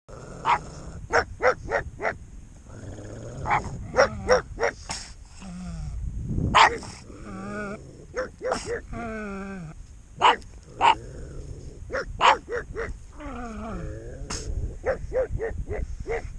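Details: Two pugs barking at their own shadows: bursts of sharp yapping barks mixed with wavering whines and low growls, in fast irregular volleys.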